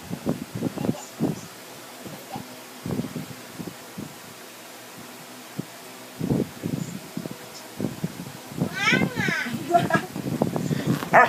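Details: A seven-month-old male Alaskan Malamute 'talks' in wavering, moaning 'woo' vocalizations while people speak between calls; Alaskan Malamute.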